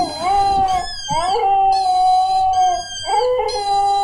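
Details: Domestic dog howling while watching footage of another dog with a squeak toy; long sustained tonal howls with rich harmonics, sliding up at the start, holding steady, then breaking into a new rising howl around three seconds.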